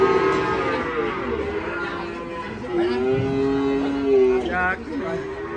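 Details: Cattle rampaging and falling into a ditch while being unloaded from a truck; long, low, drawn-out moos with rich harmonics, one after another, while men talk and shout instructions in the background.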